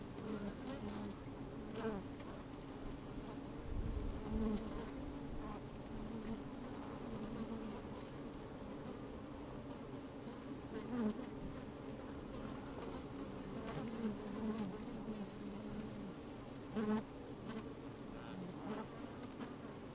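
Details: Honey bees busy at work inside an open hive on a fine, sunny day, microphone slid down into the hive: a steady droning hum with a strong band around the low pitches, occasional louder buzzes and soft clicks, some wind.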